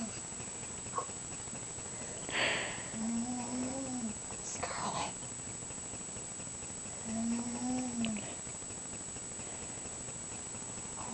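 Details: Asleep and snoring, the mouse Scharlett makes two slightly rising-then-falling hummed snores about four seconds apart, with soft rustling bursts of noise around the first.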